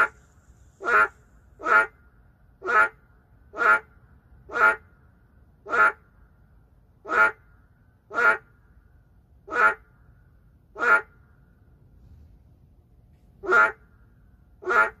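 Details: Endangered boreal digging frog in an urban area giving crisp, buzzy croaks repeated about once a second, around thirteen calls with a brief pause near the end, against quiet background.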